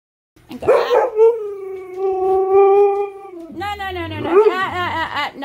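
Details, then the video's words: Manson, a Siberian husky, talking and arguing: sharp yelps open into a long sustained howl on a steady pitch, then wavering, warbling vocal talk with rich harmonics, with a person speaking nearby. "husky talk"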